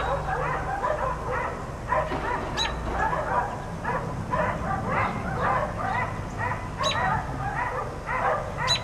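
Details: Four dogs left outside all day by neighbors bark almost without pause, a dense overlapping run of sharp mid-pitched barks, several voices at once, over a steady low hum.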